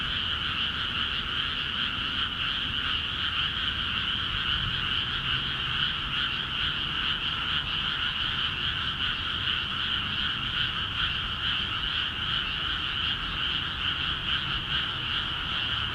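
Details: Massed frogs in Akiha Ward paddies, flooded with water and full of calling; a steady, pulsing wall of trilled croaks runs unbroken throughout, with fast irregular pulses and a quiet low rumble underneath.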